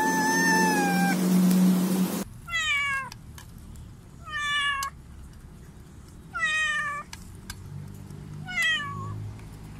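A domestic cat gives a series of harmonic meows, each rising then falling, about every two seconds.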